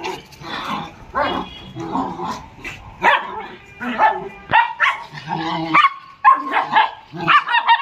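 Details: Small pet dogs at playtime, described as Lhasa Apso or Shih Tzu, giving irregular high yappy barks with harmonic whines, mixed with scuffling and some voices indoors.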